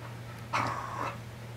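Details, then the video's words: Rescued pet dogs at play, a black Australian Kelpie named Audi and a bulldog mix named Shelly, about two years old; a single half-second growling grumble over a faint steady hum. "Cute Australian Kelpie And Bulldog Mix At Playtime"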